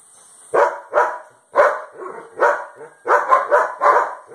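A German Shepherd barks repeatedly in deep, forceful bursts, roughly twice a second.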